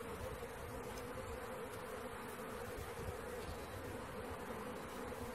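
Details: A swarm of honey bees during capture, giving an unbroken, even buzzing drone from countless wings with no pauses, faint low rumble beneath.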